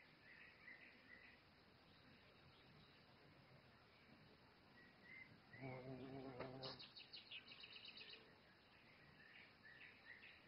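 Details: Violet carpenter bee (Xylocopa), described as a rare, endangered species, approached while gathering nectar. It gives a low droning buzz of about one second, rich in overtones. Rapid, high, repeated bird chirps follow, with other birds calling faintly in the background.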